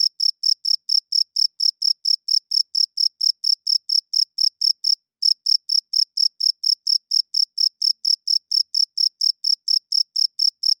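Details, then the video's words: A cricket gives a steady run of clear, high chirps at night, several each second, with no other sounds. "40 Minutes of Cricket Chirping Sounds - Cricket klinkt 's nachts luid"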